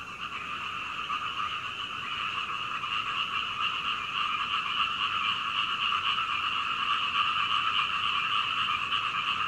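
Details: Frogs calling through the night toward dawn, heard from a second-floor window of a home in Hunei, Kaohsiung, Taiwan, recorded on a Canon PowerShot SX720HS; a dense, steady chorus of rapid croaks with two bright bands, swelling slightly louder.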